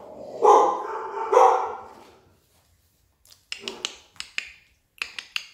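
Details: Collie puppy from litter A, dated 21.01.18, one of a playful, healthy litter: two strong, tonal barks a second apart, then silence and a run of sharp clicking taps.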